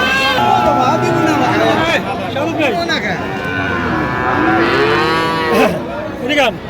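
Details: Friesian and cross-bred bull calves at a cattle market in Madaripur, Bangladesh, on 21 October 2025, with several overlapping bawling moos that rise and fall, mixed with the chatter of farmers bargaining over prices.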